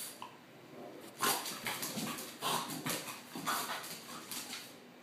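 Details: French bulldog spinning around in excitement, giving short harsh snorting and whimpering bursts that come in a quick series over about four seconds.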